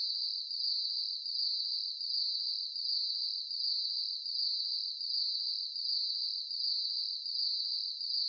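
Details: Nighttime cricket chorus, a thin high-pitched drone pulsing evenly roughly every 0.75 seconds, with a quiet background.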